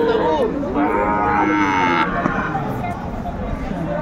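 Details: Sahiwal bull calves for sale at a Chattogram cattle market, Bangladesh, 13 December 2024. Short overlapping moos rise and fall in the first two seconds, then fade into market hubbub and voices.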